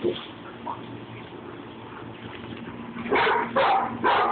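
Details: Rat Terrier Babygirl and another dog, Levi, at play: three seconds of low murmuring and faint yips, then three loud, sharp barks about half a second apart.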